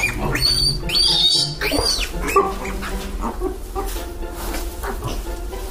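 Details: Cute micro pigs with their mother: a loud, high, wavering squeal around the first two seconds, then shorter squeaks and low grunting snorts spread through the rest.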